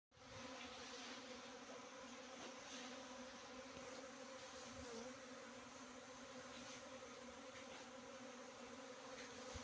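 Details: Asian honey bee (Apis cerana) buzzing: a dense, steady droning hum with a low tone and its overtone, holding even in loudness throughout, with faint scattered clicks and rustles.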